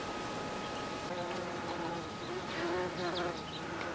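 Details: Bees foraging on blue flowers in July 2013: a low droning buzz rich in overtones swells twice, shifting slightly in pitch as the insects move, over a faint steady background hum.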